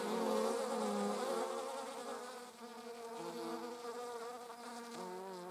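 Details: Buzzing of bees recorded on 26 July 2019 among wasps: a loud, rich drone at first, then softer, with the pitch shifting in small steps as the insect moves.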